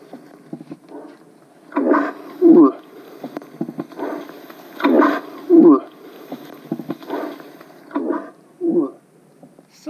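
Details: Young male moose wanting to fight, bellow recorded live in October 2020 and played back. Rough grunts each followed by a brief quavering low moan, repeating roughly every three seconds, with the later pairs softer; quiet speech underneath.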